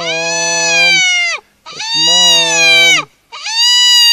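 A spotted hyena gives three drawn-out, nasal, harmonic-rich calls, each dropping in pitch at the end.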